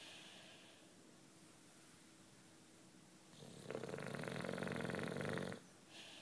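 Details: Nine-year-old British Bulldog Juanito asleep, breathing quietly before one loud, buzzing snore of about two seconds, followed by a faint exhale.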